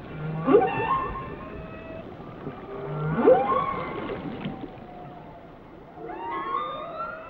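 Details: Whale song: harmonic moans and sharp upsweeping cries rising around the first and third seconds, then a cluster of higher wavering tonal notes near the end, with soft underwater rumble beneath.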